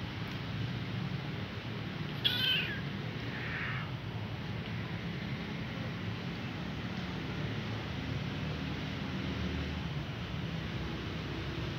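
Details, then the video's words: Hungry kitten calling for its mother: one short, high meow early on, followed by a fainter, softer cry, then only steady hiss and low hum. "Poor kitten hungry crying call mom but no have"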